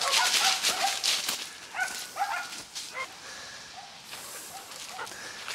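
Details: Laika dog out on a mountain hike: high, tonal whimpering whines come in short repeated bursts, some rising and falling, over a hissing, breezy background.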